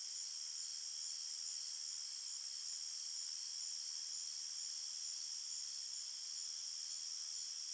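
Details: Forest crickets at night producing a steady, piercing chorus of overlapping trills, sustained high tones at an even volume with no breaks.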